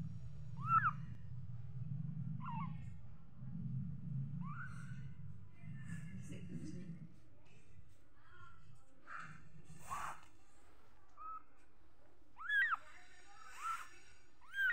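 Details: Small kitten giving scattered short high mews, several early and a quick cluster near the end, with low rumbling background noise and some faint clicks between calls.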